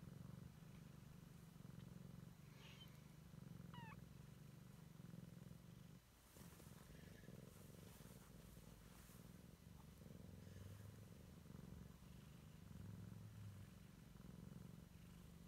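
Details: Siamese kitten exploring and checking out the world for the first time, purring steadily in a low, continuous rumble that pulses throughout, with a brief faint rising squeak near the start and soft rustling in the middle.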